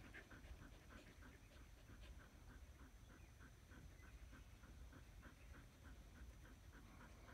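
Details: Australian Shepherds chilling in shade beneath a willow tree, their soft, steady panting repeating quickly in a quiet, even rhythm over low background rumble.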